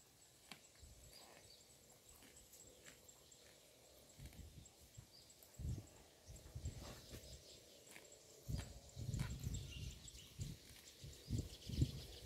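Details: Roadside grazing cow chewing grass: quiet scattered crunches at first, building into louder clustered bites and munching in the second half, with a light hiss of outdoor background.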